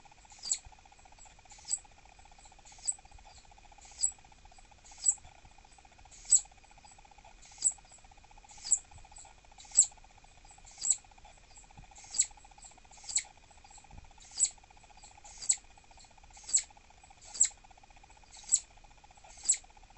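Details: Annoyed call of Dahan, a kept female southern flying squirrel, possibly pregnant and refusing snacks: a long series of short, piercing high chirps spaced roughly a second apart, steady and insistent, with faint background hum.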